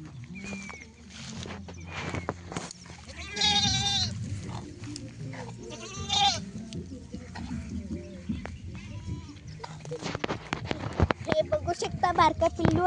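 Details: Goats out grazing while being herded by farmers: loud wavering bleats in two bursts, with people talking and laughing, rustling and outdoor rural background.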